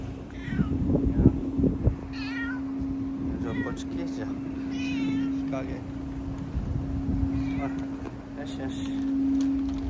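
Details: Community cats in Fukuoka, Japan, visited after a typhoon had passed, hiding in various spots. Several short, wavering meows in quick irregular succession, some rising then falling, over a steady low mechanical hum with faint voices.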